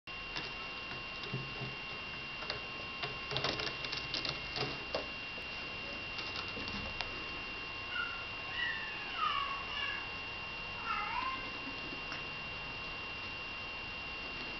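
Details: Eight-week-old female kitten, number five of litter H, gives a few short high meows that bend downward in pitch between about eight and eleven seconds. Earlier come tapping and patter sounds, with a steady electrical hum throughout.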